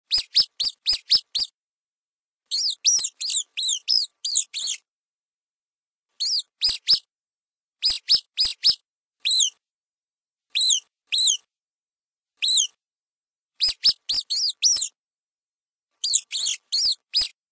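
A mouse gives high, thin squeaks in quick bursts of several, with short silent gaps between.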